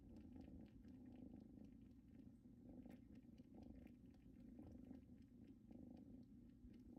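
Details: Indoors on a blanket from their mother's home, kittens Luna and Luxe keep up a soft, low purr, rhythmically pulsing in steady waves, with small ticking sounds scattered throughout.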